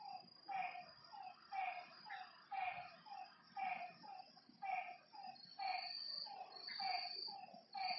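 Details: Rhythmic frog croaks from a lakeside at night, each a short harmonic burst about a second apart, with a high insect whine rising and falling in the background.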